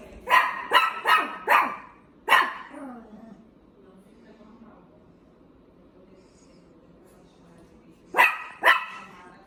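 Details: Dog barking in quick bursts: four sharp barks in about a second and a half, a fifth after a pause, then quiet with faint background murmur before two more barks near the end.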